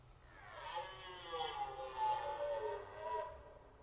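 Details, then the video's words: Red deer during the rut on the Orzysz military training ground, in an archival recording: a single drawn-out, moaning roar of about three seconds, rich in harmonics, swelling and wavering slightly before fading. "Archiwalne rykowisko na poligonie Orzysz"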